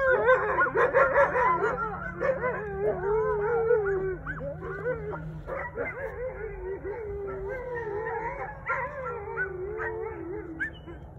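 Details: Wolfdogs with a husky howling back at coyotes until the coyotes go quiet: a busy opening of yips and barks blending into wavering howls that thin out and trail off toward the end.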